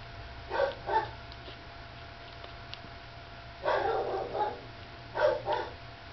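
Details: Soft grunting squeaks from a drowsy puppy nursing beside Lacey, in three short clusters of two or three nasal whimpers each, separated by quiet stretches of faint background hum.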